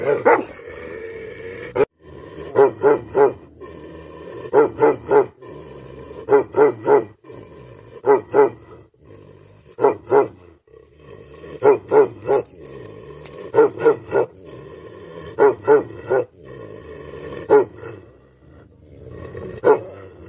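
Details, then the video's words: Angry Tibetan Mastiff (Bhote Kukur) barking in tight bursts of two or three deep barks, with a pause of roughly a second or two between bursts. A steady low hum runs underneath throughout. "Angry dogs barking effect sound ||Tibetan Mastiff || Bhote Kukur"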